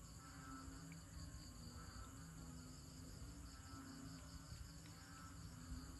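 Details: A banded bullfrog (Kaloula pulchra) gives low, droning, bleat-like calls repeated every second or two over a steady insect hum.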